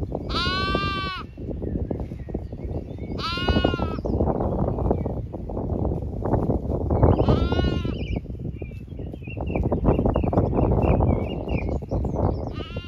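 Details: Zwartbles sheep flock on a regenerative farm in County Kilkenny, Ireland, moving to a new field for cool late afternoon grazing: four loud, wavering bleats spaced a few seconds apart over steady trampling and grass-tearing noise, with small birds chirping.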